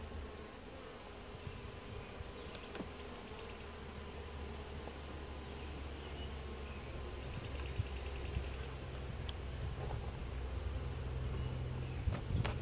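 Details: Quiet, calm honey bees buzz during a routine hive inspection; a continuous low droning hum, swelling slightly toward the end, with occasional sharp clicks from frames being handled.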